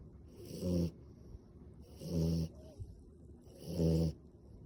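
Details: Snoring French Bulldog asleep with eyes open, giving three low, rattling snores at steady intervals of about 1.5 seconds, each a rough nasal rumble lasting under a second, with a short snort-like noise between the second and third.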